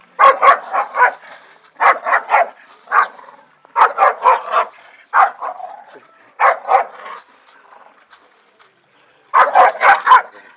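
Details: Staffordshire Bull Terriers having fun in a garden, barking in quick bursts of three to five sharp, loud barks, with short pauses between bursts.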